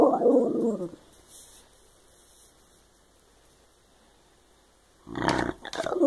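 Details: Shiba Inu making funny talking noises: a rough, moaning grumble for the first second, then near silence, then a louder burst of throaty vocalising from about five seconds on.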